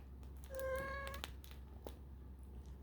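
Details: A kitten of 4.5 weeks, exploring its surroundings, gives one steady, even-pitched mew lasting under a second, then a few soft knocks and rustles against a low indoor hum.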